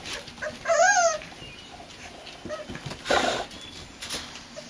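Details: Four-week-old Boxer pup in a litter penned on a front porch lets out one clear, wavering whine that rises then falls. Softer squeaks and brief rustling noises follow.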